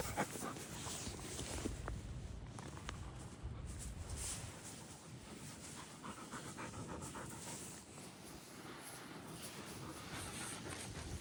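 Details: Five big dogs (Samoyeds, a Newfoundland, a Great Pyrenees and two Samoyed × Great Pyrenees crosses) hold a sports day; here a dog pants hard and quickly, short airy breaths repeating nearly four times a second, with a faint click or two.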